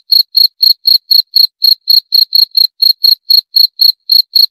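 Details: A cricket (jangkrik) gives short, high, clean chirps about four times a second, steady and evenly spaced, with nothing else audible behind it.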